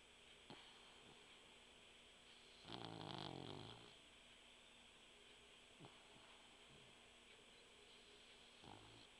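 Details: Mugzie, a sleeping puggle dog, snores indoors: one loud, rough, rasping snore lasting about a second, between quieter snuffly breaths and a steady background hiss.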